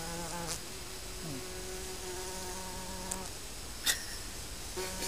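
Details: Honey bees from a colony living under a garden shed: a low, steady droning hum with several overlapping buzzes gliding slightly in pitch as insects fly past, plus a few faint clicks.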